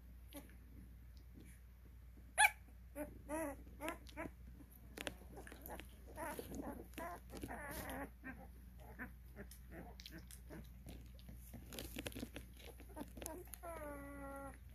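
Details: Cane Corso puppies aged 12 days, kennel-raised, during early recall: soft scattered squeaks build into a busier patch of high whines and yelps midway, ending with a steady drawn-out tone.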